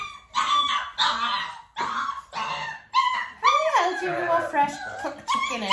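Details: Dalmatian puppies almost six weeks old, being clicker trained while mother Arya spends time with them, let out repeated shrill yapping barks about once a second, ending in a drawn-out, falling whine amid the rapid calls.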